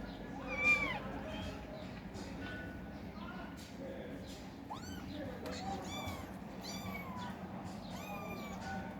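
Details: Kittens fighting for food call out in a string of overlapping high, arched meows and short rising mews, several voices in quick succession above a low steady background rumble.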